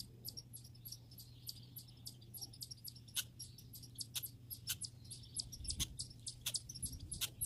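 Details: High, thin squeaks from grey and red squirrels come thick and fast, packed into rapid runs, with a few louder sharp clicks and a low hum in the background.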